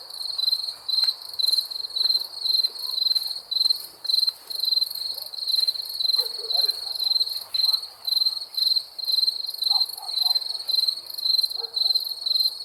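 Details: Crickets chirping at night: steady pulsed trills in short bursts about four per second-ish, high and bright, with a faint harmonic above and scattered soft background sounds.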